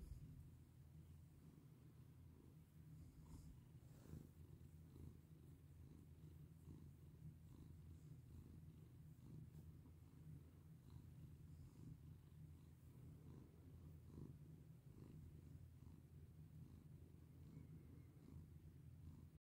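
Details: Long, unbroken purr from a domestic cat being petted, deep and rhythmic, the rumble pulsing steadily beneath gentle stroking and rustling of fur.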